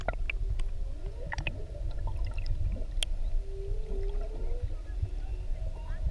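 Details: Whale recorded underwater with a GoPro off Maui during whale watching; a long, level moaning tone swells and bends upward midway, with scattered clicks and a heavy low rumble of water and boat noise.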